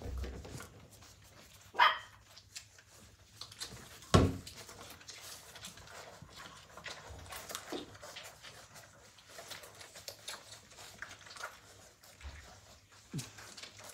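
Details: Playing Blue Heeler puppies, Australian Cattle Dogs, in 2020: two sharp yappy barks a couple of seconds apart, then quieter grunts, snuffles and whimpers over an indoor hum, with a human voice asking what they are doing.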